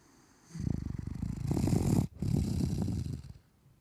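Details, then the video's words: A male, three-year-old Maine Coon cat with a bad nose, living in London, snores with a low, rough, rattling rumble over two breaths. "メインクーンのいびき/Maine coon cat snoring...."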